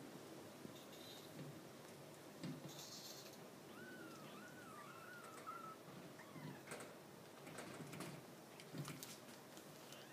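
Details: Purebred Maine Coon kitten, ten days old and tiny, born 20 August 2015, gives one thin, high, wavering mew lasting about two seconds that rises and falls, amid faint rustling and handling clicks.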